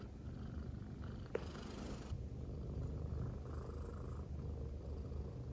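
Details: Affectionate female silver tabby American Shorthair cat lying on a person's belly, purring continuously; deep low rumble throughout, with a brief soft click near the middle.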